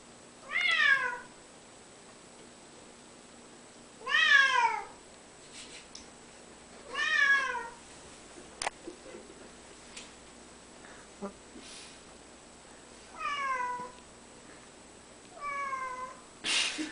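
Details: Simba, a pet cat, meows while working up to a jump: about six drawn-out, harmonic meows, each sliding downward, spaced a few seconds apart, with brief clicks and faint background noise between calls.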